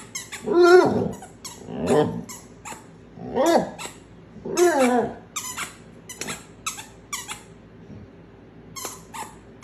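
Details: A domestic dog in a funny talking-pet compilation makes a run of squeaky, yodel-like, rising-and-falling vocal phrases, about one every second or two. Sharp clicking or tapping sounds are scattered throughout.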